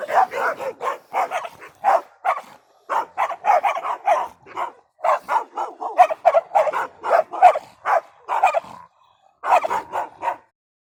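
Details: A continuous chorus of dogs barking, quick overlapping barks packed closely together for most of the stretch, with one short lull near the end before another burst.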